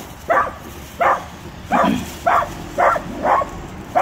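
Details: Small fearless dachshund barking at a full-grown Rottweiler, a run of six sharp, even barks roughly every half second, loud and insistent.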